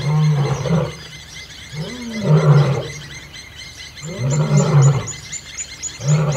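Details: Old male lion battling young males for territory in Kruger National Park, Kambaku River Lodge; deep, powerful roars swell in bursts roughly every two seconds, each opening with a rising moan, faint bird chirps above.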